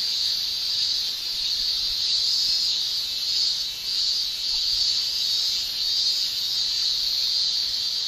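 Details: Japanese summer cicadas, males producing tymbal song: constant sharp shrilling that pulses softly in volume roughly every second or two, with a short lull partway through.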